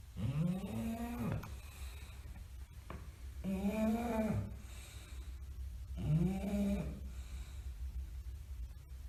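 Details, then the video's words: Bulldog asleep, snoring loud and steady: three droning snores spaced about two and a half seconds apart, each arching up and down in pitch with a rasping buzz, over a low background hum. "tierd bulldogs snoring"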